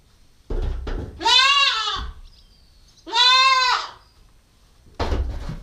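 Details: Nubian goat kid, nine weeks old and female, recorded on a GoPro stakeout, giving two full nasal bleats about two seconds apart, framed by thumps and rustling noises.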